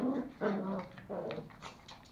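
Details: Indoors in Kathmandu, Nepal, toy Pomeranian puppies Pomo and Pomy fight over a sock, giving loud bursts of low growling, about three rough snarls in quick succession, then fading to softer grumbles and a few thin yelps.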